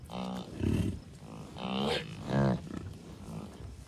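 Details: American bison at Rocky Mountain Arsenal Wildlife Refuge north of Denver, Colorado, June 2, 2022, a herd of cows, bulls and calves. Four strong, drawn-out nasal bleats follow one another in under four seconds over a low rumble of wind.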